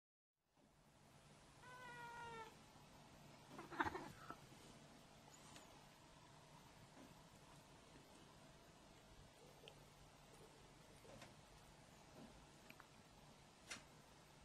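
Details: Yuki, a female white cat, climbs onto the dinner table at dinnertime, drawn by the smell of grilled fish. She sniffs but does not eat without permission. One short, soft meow comes early, then a quiet room with faint clicks and knocks.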